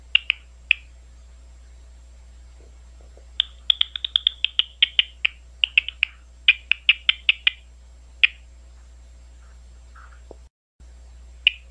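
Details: Big brown bat at Ohio State University, Ohio: scattered clicks, then a dense burst of rapid ticking pulses lasting several seconds that thins to single clicks. A short dropout comes near the end.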